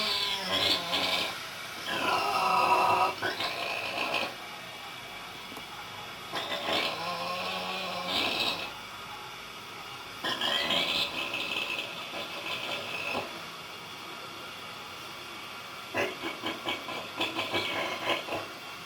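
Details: A sleeping Vietnamese pig snoring: rasping, drawn-out breaths in bursts roughly every four seconds, with quieter breathing between them.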